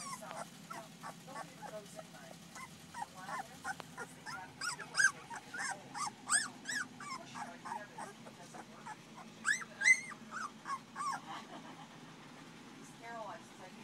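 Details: A July-born litter of Paris and Dutch's puppies, two weeks old, fills the air with overlapping high whimpers and squeals, bursts of piping cries rising and falling in busy clusters, with a low background hum throughout.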